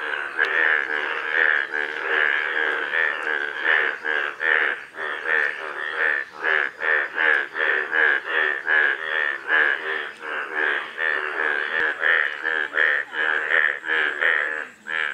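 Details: Chorus of golden frogs, a continuous stream of buzzy pulsed croaks with a steady midrange pitch and uneven rhythm, several callers overlapping through the whole stretch, recorded in a small room.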